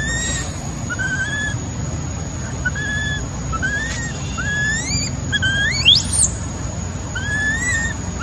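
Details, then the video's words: Abandoned baby macaque crying after being left by its mother: short, thin, rising whistled cries, each sweeping upward, given irregularly over a steady low rumble of background noise. "Poor baby monkey was abandoned by mother monkey, crying heartbreakingly"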